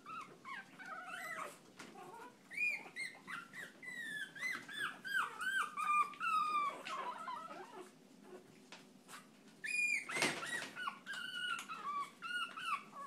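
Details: Chihuahua in a noisy outburst: a long run of high, wavering whines and yelps, several each second, with a loud harsh bark burst partway through and quieter squeaks at the end, in a small room.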